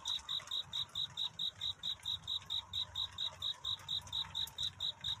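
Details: A cricket calls for a mate in the night before dawn, its piercing chirps repeating at a steady pace of about two a second over quiet low-pitched murmur.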